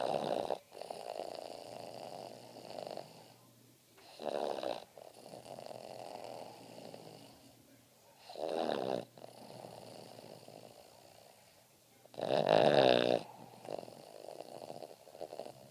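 A Boston Terrier snores in rough, rattling bursts, each breath swelling loud then fading.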